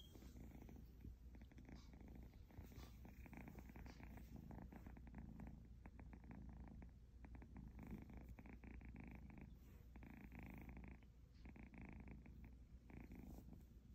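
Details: An Egyptian Mau kitten purrs steadily for the whole stretch, a deep pulsing rumble with rhythmic inhale-exhale cycles, joined by intermittent faint higher tonal hums and soft rustles.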